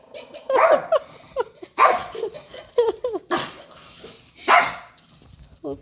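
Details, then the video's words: Pet dog barking at a man on a television screen indoors; short sharp barks and yelps in bursts, mixed with people talking and laughing nearby. "Dog barking at TV!"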